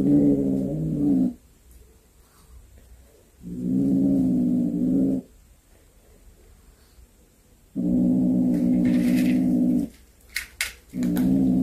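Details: Cat with a hunted snake it carried home: long, low, droning yowls, each lasting about one and a half to two seconds and separated by quiet gaps, with soft rustling and knocks in between.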